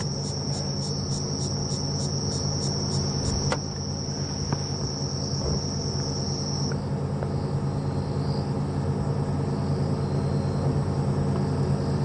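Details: Many kinds of crickets trill at dusk on a safari game drive on 10/10/15, with cicadas ticking and no birds calling: a high pulsing ringing over a low vehicle-engine rumble.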